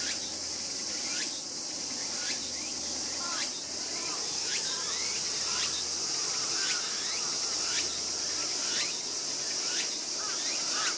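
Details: Tail bitten by its sibling, a young raccoon dog born in 2012 gives thin piercing squeals, hooked downward and repeated about once a second, with continuous high insect-like droning behind.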